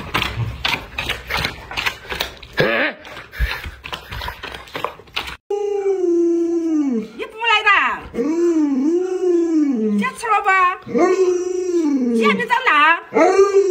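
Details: Alaskan Malamute kept as a pet, vocalizing beside its sick, bedridden owner: a person talks first, then the dog answers with a series of arching, yodel-like howls that rise and fall, repeated in quick succession.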